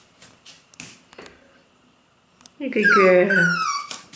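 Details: F2 Pomsky puppy, a black six-week-old female, lets out one loud, drawn-out whining yelp that falls slightly in pitch after a stretch of faint sounds and a few soft words.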